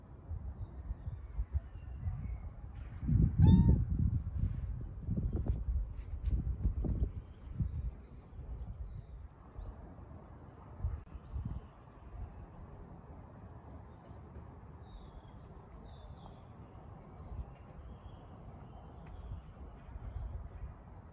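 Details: Bengal cat named Brownie in hot weather lets out one loud, brief harmonic meow early on, followed by scuffling thumps and then long stretches of low rumbling background noise with no further calls.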